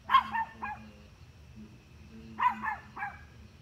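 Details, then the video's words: Barking at deer from a dog: two clusters of three rapid barks about two seconds apart, the first loudest, with a low steady hum behind. "Dog barking at deer"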